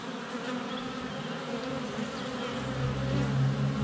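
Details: Honey bees crowding a hive entrance on a sunny February day, some landing on the camera: steady buzzing hum that swells louder toward the end as a bee approaches, with faint bird notes above.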